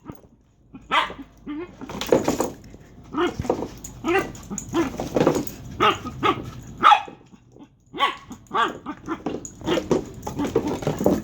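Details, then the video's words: Dagger the dog barks and yips repeatedly, roughly once a second, mixing gruff barks, high squeaky yelps and growly whines, with a brief quiet gap before eight seconds. "Dagger weird sounds"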